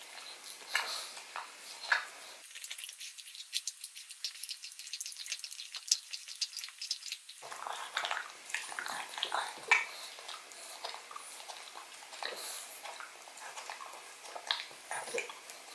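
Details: Odin the pug gnawing a bone filled with marrow indoors: wet crunching and clicking bites in quick irregular bursts, with a brief abrupt drop to near-quiet in the middle before the chewing resumes.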